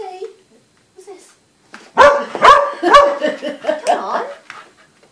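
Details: Dog barks at a snowman, opening with three strong barks half a second apart, then a run of softer, rapid yaps; quiet human voices come just before the barking.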